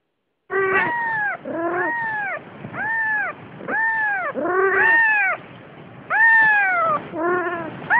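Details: Siamese cat mother carrying her days-old kitten, giving a run of loud harmonic meows, each arched and falling, about one per second with short gaps, some lower and hoarser than others.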